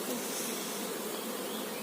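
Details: Honey bees at a managed hive during bee farming, with the queen bee shown; a steady dense buzzing hum fills the whole stretch without pause.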